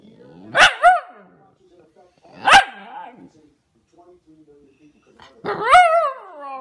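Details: Vader, a young Pomsky, vocalising in a talkative way: two short yappy barks followed by a rising-then-falling whiny howl, with near silence between outbursts.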